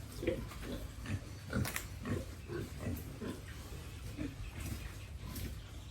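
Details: Piglets and pigs on a family pig farm raised for sale, giving a run of short low grunts at irregular intervals, about forty-odd per minute, with faint clicks and knocks of movement in the pen.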